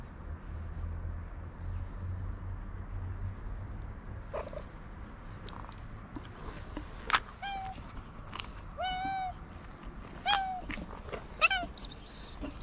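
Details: Tabby cat, a feral street cat, calling for attention after eating: a run of short, clear harmonic meows, some rising then falling, arriving every second or two over low traffic-like rumble and faint high chirps.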